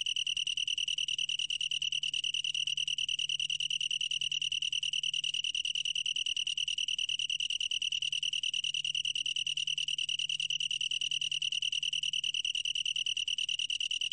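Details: Continuous singing of a long-tailed tree cricket, recorded in 2020: an unbroken, bright, high-pitched chirring made of rapid even pulses, ringing like a tiny bell, over a quiet background.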